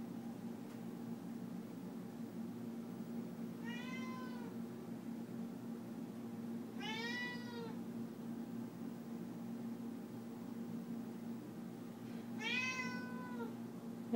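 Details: Domestic cat Leah begging for chicken while it is cooked indoors: three separate arching meows spaced about four seconds apart, each rising then falling, over a constant low room hum.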